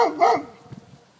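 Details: Six-month-old Bernese Mountain Dog, scared of another dog: two quick loud barks in the first half second, then faint soft sounds fading out.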